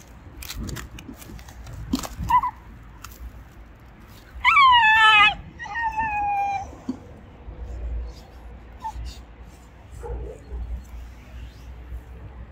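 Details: Shiba Inu guarding its owner from an icy puddle, barking and growling at the water. Two drawn-out, high, whining yelps sliding downward, the first louder, surrounded by clicks, rustling and faint handling noise.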